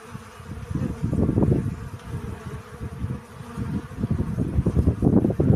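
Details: Close, loud buzzing of honey bees gathering pollen, a dense low hum rising and falling in waves as bees move near, loudest at the start and again toward the end.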